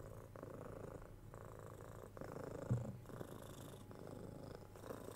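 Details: Quieter purring from kitten Tora, six months old, as she is cuddled and scratched on the head, 3DIO binaural recording; a soft low rumble in breath-length phases under a brief close handling bump.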